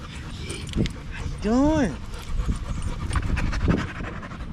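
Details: Evening at the park among male dogs, a Staffordshire Bull Terrier gives one loud, drawn-out yowl that rises then falls, rich in overtones, framed by heavy panting and snuffling.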